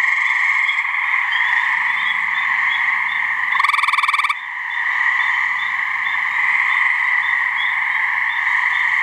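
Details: A gray treefrog (Hyla versicolor) in a New Hampshire swamp gives one loud, coarse, pulsed trill lasting under a second. Its mating call stands out above a continuous background of frog trilling.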